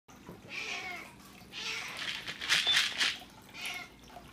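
An Exotic Shorthair cat gives short, harsh, bark-like meows to ask for breakfast.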